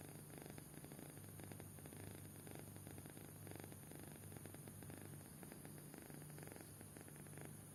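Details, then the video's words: Sleeping kitten snoring deeply, a gentle low rattling rumble repeating in rapid even pulses for the whole stretch, faint breathy texture above and a constant electrical hum behind. "Anak Kucing Tidur Pulas Sampai Ngorok"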